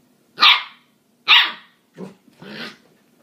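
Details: Husky and corgi puppies at play, barking in short bursts: two sharp, high yips followed by two lower, softer barks over about three seconds, with a faint steady hum underneath.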